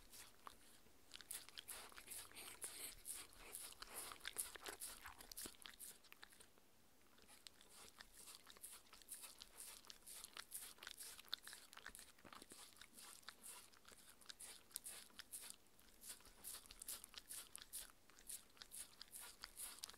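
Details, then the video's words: Mindy, a six-year-old female Shetland Sheepdog, eats her raw beef dinner; dense wet crunches and bites follow one another quickly, with a brief quieter pause near seven seconds, and no talking. "ASMR Dog eating Sounds"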